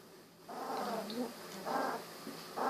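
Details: Golden Retriever puppies at 16 days old, eyes just opened; three drawn-out nasal whines, the first longest and wavering, the others shorter, in close succession.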